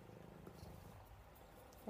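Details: Buddy, a pet cat described as a cuddle bug, purring steadily in a low, even rumble of rapid pulses throughout, with a brief burst of affectionate human speech at the very end.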